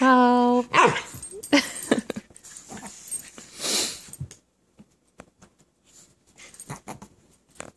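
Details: Chihuahua and mini husky, Miko and Sam, at play together inside a living room: an opening sustained harmonic howl-like moan, then rapid scuffles, snorts and soft huffs fading into scattered quiet rustling.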